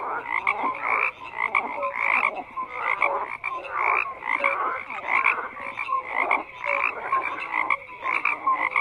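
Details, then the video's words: Many frogs call together, their harsh rhythmic croaks repeating in quick bursts under a layer of bright short whistles and occasional low tones, forming an unbroken chorus. "FROGS CROAKING"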